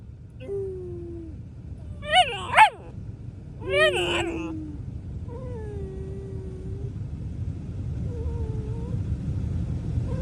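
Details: A Rottweiler puppy, described as grumpy, gives sharp rising yelps, then drawn-out, wavering whines over a low rumble.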